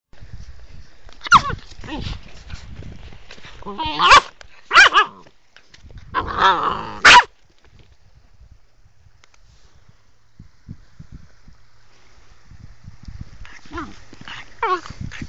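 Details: Sloughi puppy, a young female described as angry, giving a short burst of sharp harsh barks and yelps between about one and seven seconds, then quiet, with a few more yelps near the end.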